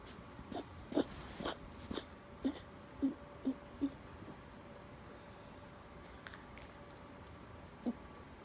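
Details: A two-year-old rescue Chihuahua / Miniature Pinscher mix with severe kennel cough: a fit of short, hoarse, honking coughs about every half second for four seconds, a quiet pause, then one final cough.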